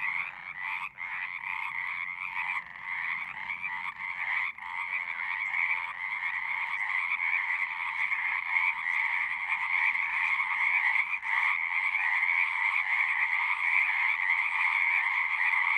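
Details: Frog chorus from a pond in a horse pasture, recorded with a Zoom: overlapping trills, a little uneven at first, then building into a steady, continuous din.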